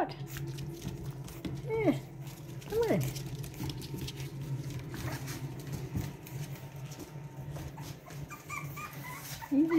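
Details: Boston Terrier puppies from Lily and Lil Red's litter of two, seemingly trying to get out. Several short, rising-falling whimpers come through between a person's soft talking to them.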